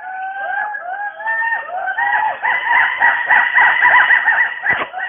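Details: Western hoolock gibbons calling from the rainforest canopy in Dampa Tiger Reserve, Mizoram, India; a fast run of rising, wavering whoops repeated several times a second, growing louder, with a steady overlapping tone.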